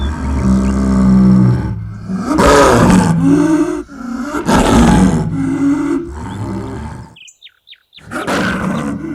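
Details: Snow leopard, which cannot roar, said to be recorded in the wild: long, loud, low moaning calls broken by short pauses, a near-silent gap with a few soft high chirps, then another deep call.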